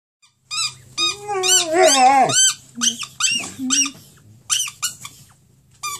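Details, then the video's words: Harley, a Saluki, almost howling indoors: drawn-out whining cries that rise and bend, some wavering, broken by short gaps, mixed with sharp high squeaks and a low steady hum in the background. "Saluki harley. ..howling...almost"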